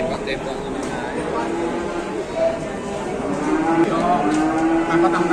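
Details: Large cattle being unloaded in Indonesia; a drawn-out, slightly rising moo swells in the second half over constant crowd chatter, background music and clatter.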